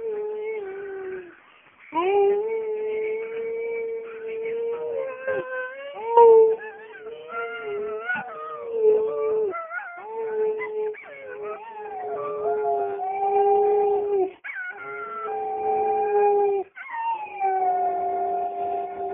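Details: Dog howling indoors, long sustained tonal wails with wavering pitch, rising and bending between phrases, several breaks between howls; a person's voice briefly heard.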